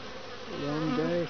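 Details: Several Western honey bees bring pollen, grey and some orange, into a top-bar hive in midwinter, 8 February 2015, in Lynchburg, Virginia, on a 60°F day; a low, droning wing buzz swells briefly as one passes close by.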